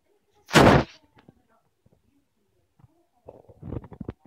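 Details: A Chinchilla Persian cat gives a single sharp, explosive sneeze, followed by soft rustling; after sneezing it makes a cackling "kekeke" sound.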